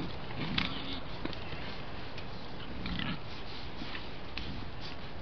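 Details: Wild boars caught on a trail camera while rubbing against a tree give deep, brief grunts in two bursts a couple of seconds apart. Quiet snuffles and rough scraping fill the gaps under a steady background hiss.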